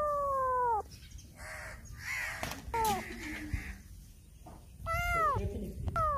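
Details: Black cat meowing loudly as it turns around a person; several clear falling meows, one at the start and more near the end, with rustling and thumping noises in between.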